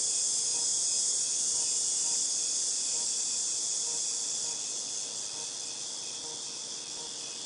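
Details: A dense cicada chorus from August 2018, a piercing, sizzling drone that stays level before fading gradually over the last few seconds.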